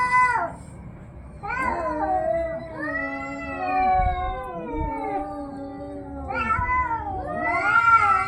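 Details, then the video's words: Cats fighting with low, droning moans that bend up and down, broken by sharper rising yowls near the start and end, over a faint rumbling background. "cat funny fight sounds"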